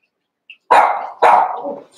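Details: ['Cavalier King Charles Spaniel puppies playing together in a pen; two sharp, high puppy barks about half a second apart, each trailing into a short rasp.']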